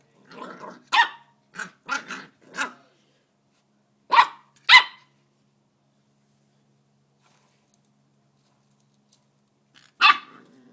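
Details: A Corgi puppy playing with a bike pedal gives short, bright barks and yaps in uneven bursts, with long quiet gaps.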